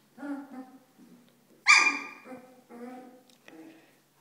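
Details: Corgi puppies playing in their play area, giving a series of short harmonic whines and yelps with one louder high-pitched squeal in the middle, pausing briefly between calls in a quiet setting.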